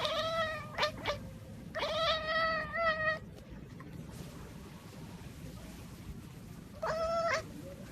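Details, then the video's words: Kittens talking and making funny noises: loud, clear harmonic meows, a long drawn-out call, then a rising one, a quieter gap of background hiss, and a final rising meow near the end. "Hilarious Baby Cats Talk and Make Funny Noises"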